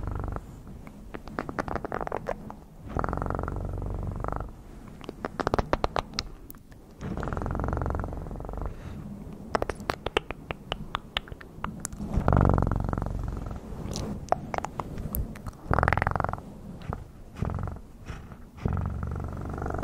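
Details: Cat purr coming in repeated low throbbing blocks a second or two long, separated by crackling clicks and scratchy handling sounds.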